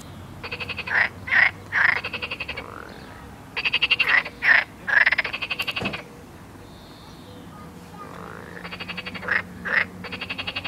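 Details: Frogs by a river in the Midi-Pyrénées, southern France, give bursts of rapid, rattling, bird-like pulsing calls with brief pauses; they started as people approached, possibly warning or mating calls.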